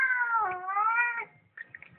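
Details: Domestic cat giving a long, drawn-out wavering meow lasting over a second, dipping then rising slightly before fading, followed by brief soft rustling.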